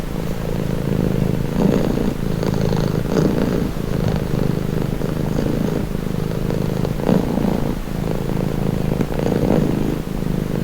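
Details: Purring domestic cat, deep vibrating rumble broken into slow alternating breath phases every one to two seconds, relaxed and even, with faint low background hum.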